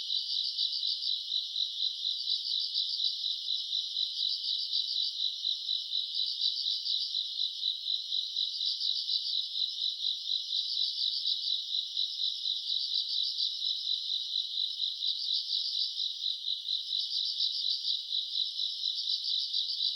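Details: A summer night full of grass insects, recorded in August, their high, ringing chirps merging into one unbroken shimmering wall, pulsing rhythmically about once a second throughout twenty seconds.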